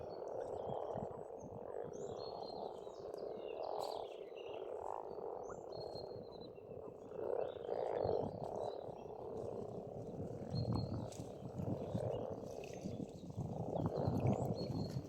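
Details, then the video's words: Frogs croaking together at an Estonian pond in spring, a thick rolling chorus that pulses in waves, with a low rumbling background and thin bird whistles drifting over the top. "Расслабляющее пение птиц и лягушек, весна, природа."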